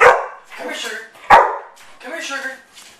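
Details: Pet dogs at home, including one called Sugar, bark on the owner's command "speak": two sharp, loud barks about 1.3 seconds apart, each followed by quieter human talking.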